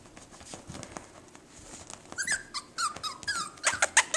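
A Jack Russell Terrier puppy gives a burst of high, squeaky whines and little yelps after a quiet start.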